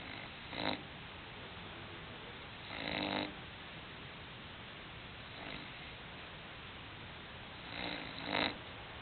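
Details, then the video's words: English bulldog Hulk asleep, giving soft, brief raspy snores at uneven gaps of about two to five seconds, with quiet background hiss between breaths. "English bulldog snoring"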